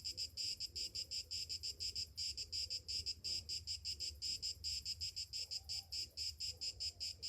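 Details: Cicadas on a summer morning sing in distinct throbbing pulses, roughly three or four shrill buzzy beats each second, rising and falling in a regular rhythm.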